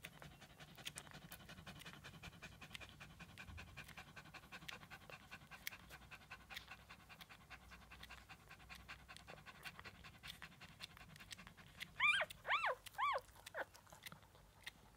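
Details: Litter of seven 1-day-old Shih Tzu puppies feeding: soft rapid clicking and suckling noises run throughout, then near the end a short burst of four or five high, wavering squeaks, each rising and falling.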